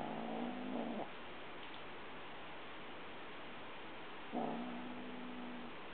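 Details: Domestic cat carrying a dragonfly teaser toy in its mouth, growling softly the whole time with no one trying to take it: two low, steady, droning growls about a second long, separated by a quiet gap, over faint background hiss.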